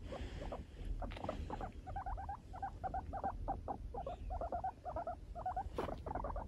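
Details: A four-year-old pet guinea pig refusing to be touched: rapid series of short chattering chirps in quick bursts, with soft rustling and handling noises underneath.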